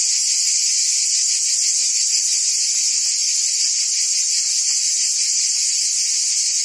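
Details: Cicadas buzzing in forest trees: a dense, steady, high-pitched hiss-like drone that holds unbroken through the whole stretch, with faint rapid pulsing in its lower part and no other clear sounds.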